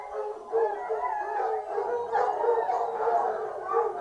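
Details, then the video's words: Foxhound pack singing on a fox hunt: overlapping drawn-out howls and bays rising and falling, several short yelps cutting through the continuous chorus. "Fox hunting hounds singing"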